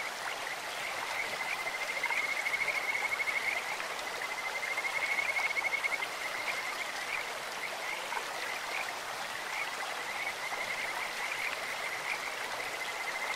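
A Kajika frog gives high, sweet, trilling calls over the steady rush of a flowing stream.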